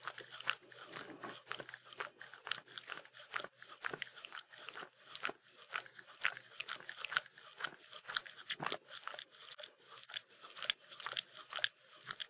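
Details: Mindy the Shetland Sheepdog lapping at peanut butter indoors, about two wet tongue clicks per second in a steady but uneven patter of sticky smacking sounds throughout.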